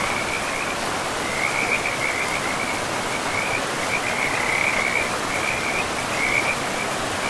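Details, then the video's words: Beside a forest river among moss-covered land, frogs keep up chains of bright, rapid, rattling trills, one after another, over the unbroken whoosh of running water. "River and Frogs sleep sounds"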